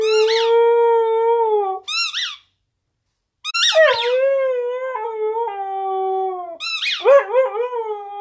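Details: Arya, a female Siberian Husky puppy, howls for her squeak toy on a bed: a long steady harmonic howl, sharp toy squeaks, a brief silence, then drawn-out wavering howls that rise and dip, broken by more squeaking near the end.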